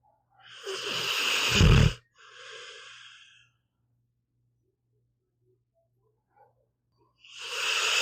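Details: Pet pit bull Meatball asleep, giving a coarse rumbling snore and a breathy exhale, then several seconds of silence before the next rasping inhale begins.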